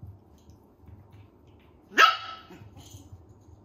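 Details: Toy Poodle puppies, red and silver females three months old, one giving a single short high yip that rises sharply then fades, with soft low rustling before and after.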